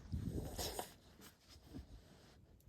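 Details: A female French bulldog–Boston terrier cross on the western plains in midwinter gives a burst of rough, breathy snorts out of excitement after coming back from running around outside; she snorts whenever she is excited.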